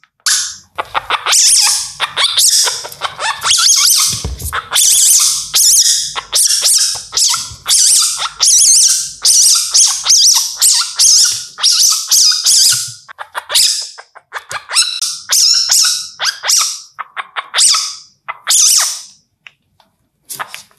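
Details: An Indian palm civet, calling at night, gives harsh, hissing screeches in quick, ragged bursts, one after another.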